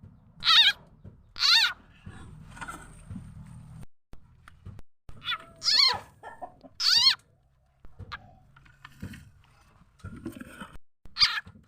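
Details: Frog used as a lure for catching birds, chickens and other fowl: loud harmonic notes that drop in pitch, given in uneven pairs and singles over low rumbling background noise.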